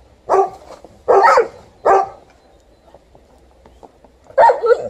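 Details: Alaskan Malamute barking in protest at snow being cleared: three loud, harsh barks about a second apart, a brief quiet stretch, then a final bark.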